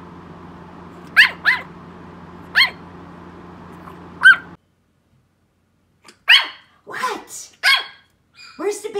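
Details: Rosie, a 3 lb Yorkshire Terrier, giving short high yaps in small bursts, first singly and in pairs over a low hum, then after a brief silence a denser run of yaps mixed with a person's voice asking about the baby in the mirror.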